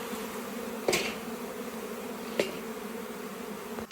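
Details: Captured swarm of honey bees humming continuously in a low, even drone, with two sharp clicks or taps cutting across the steady buzz.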